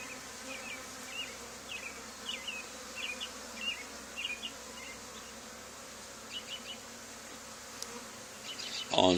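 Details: Swarm of honey bees clustering at a box near an old barn wall after a nearby hive cutout: a low continuous hum beneath bursts of chirping from small birds, ending with a sharp knock.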